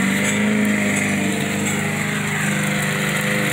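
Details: Steady droning engine of a lawn mower running throughout, with no animal sound heard.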